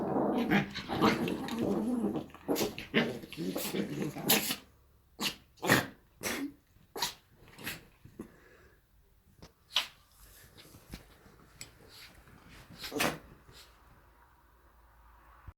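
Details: Two Chihuahuas, Jessie and Eva, playing and sneezing: a rough, dense growling tussle for the first four seconds, then a series of short, sharp snorting bursts spaced irregularly, with quiet pauses between.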